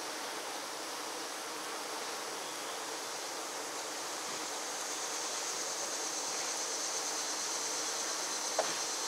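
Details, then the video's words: Honey bees fan the hive to cool it on a 96-degree day, filling the air with a dense, steady buzzing hum from many fanning wings; Western honey bee. "Honey bees fanning the Hive"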